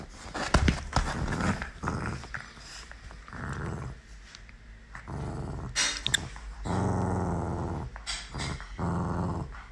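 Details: Playful Miniature Pinscher puppy Galu growling in long, rough, rumbling stretches broken by brief pauses, the longest near the end, with a few sharp clicks and knocks in a small indoor room.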